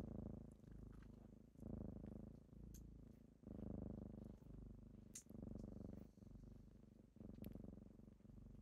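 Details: Rich low purring from kittens during a typical morning wake-up, rhythmic inhale and exhale swells just under a second apart, with occasional soft clicks and rustles.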